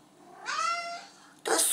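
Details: Thirsty female house cat asking at night to drink from the sink: a single long tonal meow rising slightly then holding steady, rich in harmonics, then a burst of French speech from her owner indoors.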